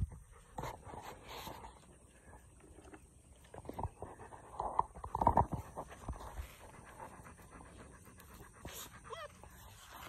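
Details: Webfoot retriever with his puppies at a pond; soft breathy panting bursts come in short runs, loudest around the middle, over faint background hiss and a few distant sounds.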